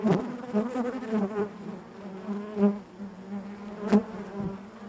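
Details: Honey bees humming inside the hive, a low steady drone with harmonics, pulsing irregularly louder and softer, with a sharp click near the end.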